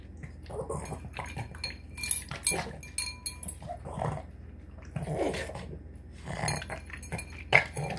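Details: Boston Terrier snarfing down a tuna, egg and kibble dinner, with choppy snorts and chewing bursts mixed with clinks of a bowl or dish; irregular noisy puffs spread across several seconds.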